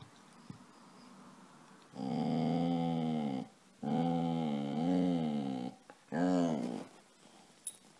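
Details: Pet dog Casy, asking to be petted, gives three moaning whines indoors. The first two are long, roughly one and a half to two seconds each, with a wavering pitch. The third is short, with quiet pauses between them.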